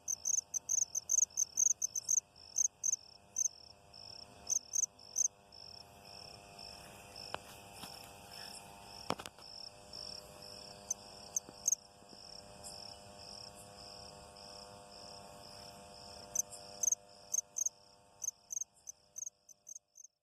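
High, shrill insect chirps in quick, uneven bursts above a steady high-pitched drone.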